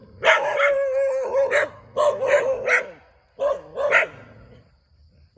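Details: Beside a rubber plantation in Thailand, a dog gives strained, whining barks run together in bursts of two or three, then fades to quiet with one last bark at the end.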